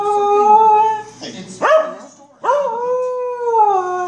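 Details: A corgi howls at the Better Call Saul TV show in long, wavering tones that swoop upward and hold, breaking briefly between notes.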